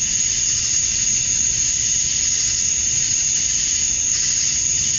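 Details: Male cicadas chirping to attract females at dusk on a summer night in Georgia, USA: a dense, steady high-pitched hiss with a sharp whining tone on top, continuous throughout with faint low rumble beneath.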